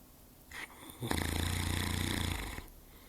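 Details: Larry, a pet Saint Bernard, asleep indoors: a soft breath, then one loud, deep snore lasting about one and a half seconds, rattling with rapid low vibrating pulses before it trails off into quiet.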